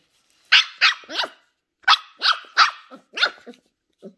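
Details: Ollie, a 10-week-old female Shetland Sheepdog puppy, curious and discovering new things, gives a quick run of high, sharp puppy barks, three close together, a pause, then four more, ending in a softer yip.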